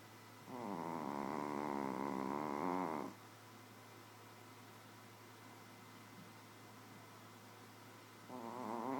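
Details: Nouchka the Shih Tzu snoring while asleep: a loud, vibrating two-and-a-half-second snore, then a long quiet pause with soft breathing, and the next snore just beginning at the end, over a steady background hum.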